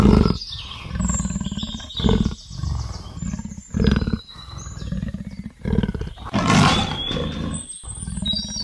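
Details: Leopard's sawing roar, a steady series of deep grunting pulses repeated about every half second, with birds whistling and chirping in the background.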